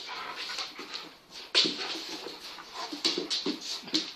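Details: Venus and Tyson, Kangal dogs, playing: a massive 8-month-old full Kangal puppy with a smaller cross Kangal. Breathy whimpers and panting come in quick uneven bursts, with a sharp louder burst midway.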